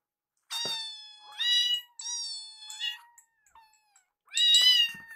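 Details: Hungry foster kittens Yuki and Piyo, rescued baby cats, meow for their food: loud, bright meows with strong overtones, one long falling call followed by a pause and a final shrill meow.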